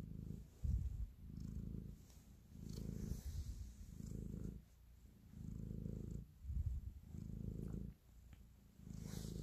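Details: Cat purring contentedly while kneading, a loving gesture; heavy low-pitched rumble in rhythmic waves, with a couple of soft thumps from the paws and light fabric rustle nearby.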